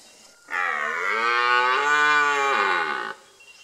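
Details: Young red stag roaring after walking up to within seven metres over a weekend; one sustained harmonic bellow of about two and a half seconds, the pitch rising at first, holding level, then sliding down, ending abruptly into quiet.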